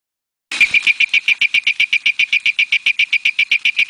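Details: Malabar Tree Toad, an endemic species of the Western Ghats in India, calling: a steady series of short, sharp, high-pitched clicking notes, about four per second, evenly spaced and unchanging in pitch over several seconds.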